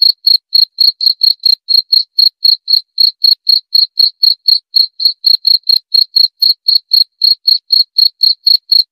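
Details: Cricket chirping steadily: clean, high, ringing pulses repeated about four times a second without pause for the whole stretch, with a faint higher overtone and no other sounds.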